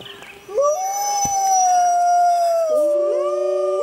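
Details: Wild grey wolves recorded waiting for full moon: a howl swells and holds level, sliding gently down, then other voices join in lower, overlapping parallel tones.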